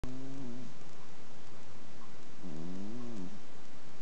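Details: Sleeping Exotic Shorthair cat, an adopted female about seven years old, snoring indoors: two soft, low wavering breaths, the first brief and the second a longer rising-and-falling rasp.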